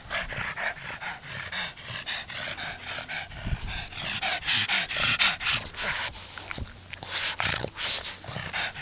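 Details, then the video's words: Small happy pug giving rough, breathy snorts and panting grunts in an irregular run of about two per second, with noisy bursts and low rumbles between them. "petit pug heureux"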